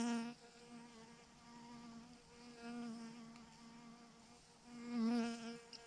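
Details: A huge cluster of bees clumped on a branch drones continuously. The low hum dips and rises in waves, with a louder surge near the end.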